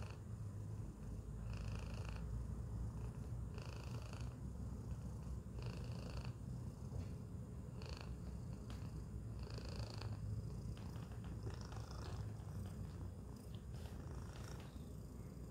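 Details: Strong low purr from Tacy the cat inside a Chewy box, steady and close, broken by a few brief higher rustling sounds every couple of seconds.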